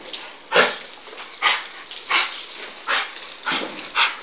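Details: An English Bull Terrier gives harsh, breathy, noisy bursts, about one every second, described as choking.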